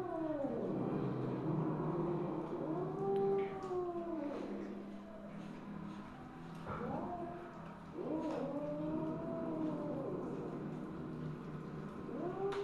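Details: Misu, a Siamese (Wichienmaat) mother cat, recorded 2/1/2015 at 8:18 PM, showing motherly love; she gives a series of drawn-out, arching meows, rising then falling, some overlapping, with short pauses between them and a faint background hum.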